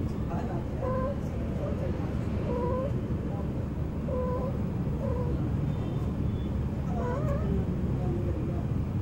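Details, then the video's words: Mating cats under a car trade a series of short, wavering mews and yowls, about six in nine seconds, some bent upward at the end, over a continuous low background rumble. "Naughty Cats Under My Car"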